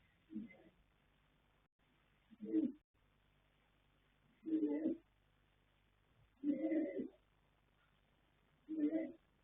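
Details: Yanta, a sleeping colt foal born 21 January 2026 (by Fast Force out of Pink Blossom), snores in five low, husky bursts roughly two seconds apart, each one short and breathy, in a quiet setting.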